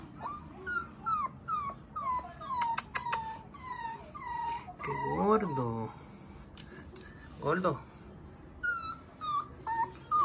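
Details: Golden Retriever puppy taking its first steps indoors, giving high, thin whimpers that rise and fall in short repeated bursts, mixed with a woman speaking Spanish as she coaxes it forward.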